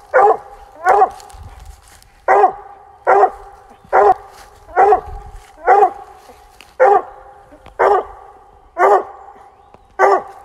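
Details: A Bluetick Coonhound bays at a treed fox squirrel on a rainy October afternoon, loud, hoarse barks repeated about once a second.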